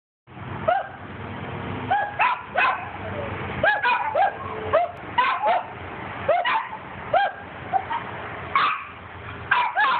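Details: Dog hunting squirrels, giving short sharp barks in quick bursts of two or three, repeated steadily through the stretch over a constant low background rumble.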